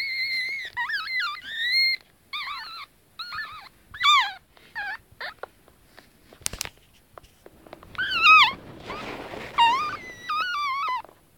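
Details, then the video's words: Pug puppies, twenty minutes after birth and moving around a warm basket, make their first sounds: thin, high squeals that waver up and down in short repeated bursts. "I primi minuti di vita dei cuccioli del mio carlino"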